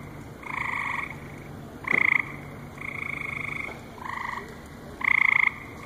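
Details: Frogs at a lily pond on a July night in 2014 at the Cranbrook Institute of Science give about five nasal croaks of uneven length, some short and some drawn out, with a single sharp click midway.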